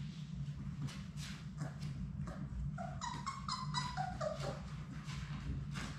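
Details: Labrador Retriever puppies from a litter of six playing in their indoor room; a run of short, high whimpering yips comes midway through, stepping downward, over a constant low hum and light bumps.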